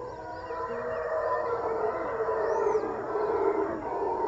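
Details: Howler monkeys at Jungle Land, Panama: a continuous deep roaring drone, steady and swelling slightly throughout, with faint higher bird-like chirps above.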